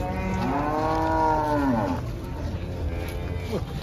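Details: Giant cattle being unloaded from a truck with their handlers. A single long, harmonic moo, steady then falling, fills the first two seconds, followed by quieter rumbling and handling noise.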